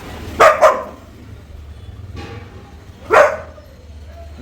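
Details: Sofie, a pet Labrador Retriever, plays with a small toothpaste box at home in Tamil Nadu: a quick double bark, a pause, then one more short bark about three seconds in, with a person talking nearby.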